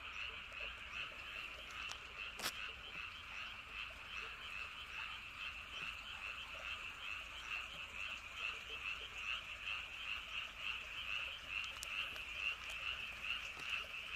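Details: Many frogs croaking in the night silence around Andong, South Korea, by Wolyeonggyo Bridge and Hahoe Village: continuous, pulsing chorus of overlapping croaks about twice per second, broken by a few brief clicks.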